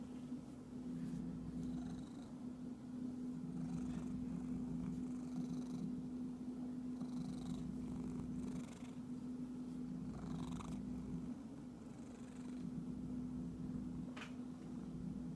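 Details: Domestic cat purring with a steady low rumbling drone that runs almost unbroken for fifteen seconds, with scattered brief rustling noises on top.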